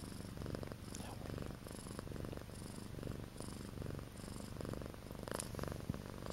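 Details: Close, even purring from Akari, a pet cat in her first two months with her family: a low, buzzing rumble pulsing in quick regular beats, with one faint tick near the end.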